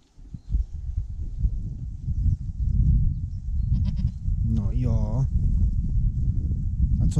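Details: This year's first goat kid gives one short, quavering bleat with a wobbling, stepped pitch, lasting under a second, over constant low rumbling and handling noise.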